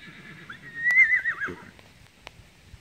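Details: Goose, an eight-year-old palomino Tennessee Walking Horse gelding standing 14.3 hands, gives a short, wavering whinny lasting about a second, its tone rising and falling, with a sharp click and a faint low rumble around it.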